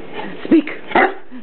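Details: Pet dogs, a 3-year-old Rottweiler named Ruby and an 8-month-old English Mastiff named Teddy, playing indoors with an old shoe sole. Two short barks come about half a second apart after repeated spoken 'speak' commands, with a person talking nearby.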